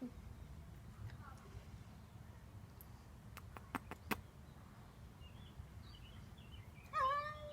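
A Devon Rex cat gives a brief, rising, slightly nasal meow after a few sharp taps.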